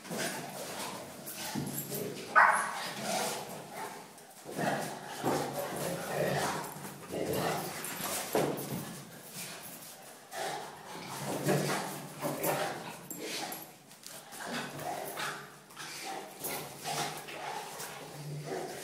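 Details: Two pet dogs, a Cane Corso named Zeus and a Miniature Schnauzer named Maximus, play fighting, with the small one the instigator. Rough barks, growls and yips come in rapid bursts throughout, while a man talks to them now and then.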